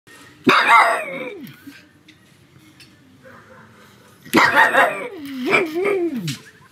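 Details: Pet pug at home on a sunny afternoon, barking loudly: two harsh, loud barks about four seconds apart, each trailing into a falling, whining tail, with a quiet room between them.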